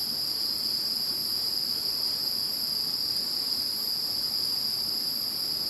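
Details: Chorus of insects in the calm after Typhoon No. 21, a steady wall of high, shrill ringing with layered continuous trills that never pause, soft background hiss beneath.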